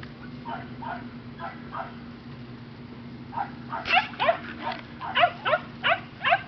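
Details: Five-week-old Mini/Toy Australian Shepherd puppies giving short yelping barks, first a few soft ones, then a louder run of about eight yips roughly every third of a second, over a low background hum.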